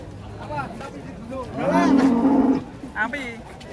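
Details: Very thin, bony cow that is still alive lets out a loud, level, drawn-out moo lasting about a second. People talk before and after it, and there are faint shorter vocal sounds nearby.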